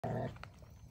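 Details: German Shepherd happily playing with a log, its favourite toy. It gives a single short, low, harmonic growl-like vocalization lasting about a quarter second, then only faint rustling and quiet background.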